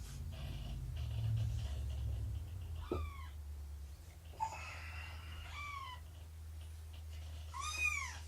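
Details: Domestic cats indoors on a September 2017 morning: Shelby, about two years old, with her roughly three-month-old kittens during snuggles, nursing and play. Three separate high, arching meows, the last one the loudest, rise over a steady low hum.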